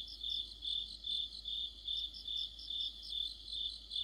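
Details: High, evenly spaced cricket chirps, about two and a half per second, from an autumn chorus of crickets and other insects, overlaid by a thinner, higher rippling trill.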